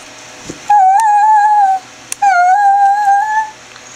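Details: Chevelle the greyhound performing her roo and whine combo: two sustained, slightly wavering tonal howls about a second long each, separated by a short pause, with faint clicks between.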